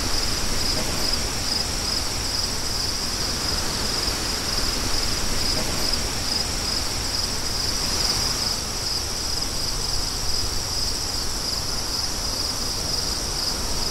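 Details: A steady high-pitched cricket trill runs unbroken throughout, with a continuous roar of wind underneath and no other animals heard.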